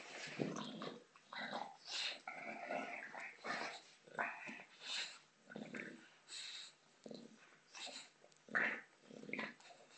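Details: Female bulldog at play with a soccer ball. Low, wheezy growls and snorting breaths come in short pulses about every second, uneven in rhythm, with soft hiss behind.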